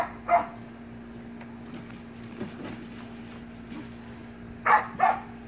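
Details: Playful Samoyed puppy with siblings in a pool: one yappy bark, a quiet stretch with faint splashing, then two quick barks close together, set against a continuous low droning hum.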